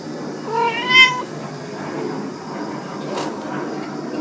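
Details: Kitten or its mother cat at a rural country house in Dorae Village, South Korea, where the mother recently gave birth: one clear, high, harmonic meow rising then falling, about half a second long, over steady insect buzz and a brief noise burst.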